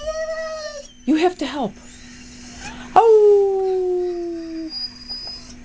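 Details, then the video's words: Simba, a pet dog who rarely howls, reacting indoors to a played recording of two dogs in distress stranded in a canoe: a brief high tonal cry, a woman's voice, then a long howl sliding downward for nearly two seconds. "Dog reacts to dogs in canoe"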